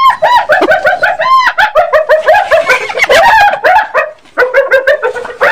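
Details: Hyena giving a rapid, chattering series of high, arched, giggling notes, dense and overlapping, with brief pauses and no other sounds clear.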